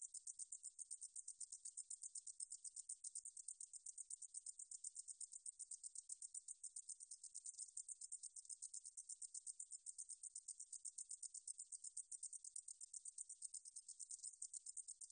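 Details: High, thin, sizzling song of a meadow katydid, recorded by the National Institute of Biological Resources in 2020, pulsing steadily at about four beats a second without pause, with nothing else audible.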